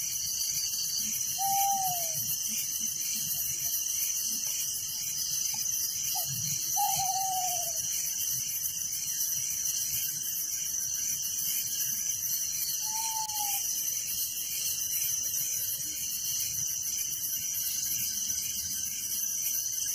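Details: Crickets chirping at night in a village: a dense, steady, high-pitched pulsing chorus that runs without pause, broken by three short, downward-sliding whistled notes from another creature around 1.5, 7 and 13 seconds.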